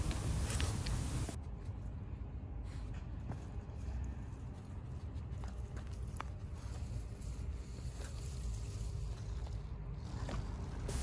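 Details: Outdoor walk with footsteps, rustling, passing traffic rumble and scattered soft clicks, but no animal calls.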